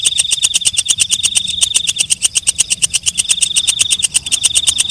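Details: Walang kecek, a night grasshopper, calling at night: a rapid train of sharp, high, ticking pulses, roughly ten per second, each bright and metallic, steady throughout with no other clear sounds.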